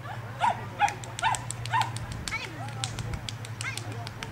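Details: Cavalier King Charles Spaniel on an agility course, giving four short, sharp barks in quick succession over the first two seconds, then quieter, with people talking throughout.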